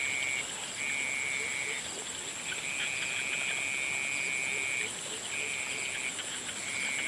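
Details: Frogs calling at sunset: high, even trills run in stretches of one to two seconds, broken by brief pauses, over a steady high-pitched drone and soft background noise.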